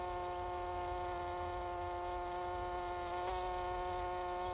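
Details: Cricket at night: high, pulsed chirps about four per second, laid over a loud, steady, droning musical tone with a brief click near the end.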